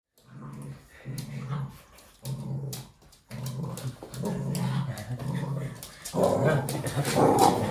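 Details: Red Toy Poodle playing with its owner indoors, making playful noises: low rumbling growls in repeated bursts about a second long with short pauses, turning into a louder continuous growl near the end; a person's voice occasionally heard.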